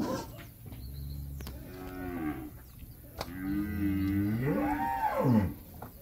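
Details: Calves in Campeche, Mexico, on 20 August 2022, give drawn-out moos whose pitch arcs upward and falls back, the last call loudest, with a low background drone and occasional clicks.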